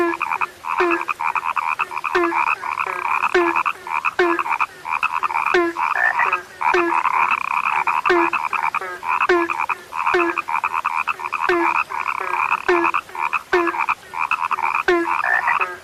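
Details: Frogs described as now rarely heard, calling in a dense chorus: short croaks with a low throaty note and a sharp swept onset, repeated about every half second, over a steady trilling, mid-pitched background of overlapping callers.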